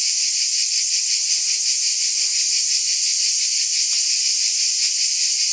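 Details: Cicadas in a steady, dense high-pitched buzz with a fine pulsing texture that never breaks, plus faint soft chirps underneath.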